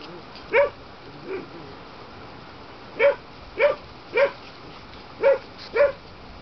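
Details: German Shepherd puppies born 7/6/2012 to Aqua and Tiger, yapping in quick high-pitched barks, two early, a pause, then five in a rapid irregular run, over low steady hiss.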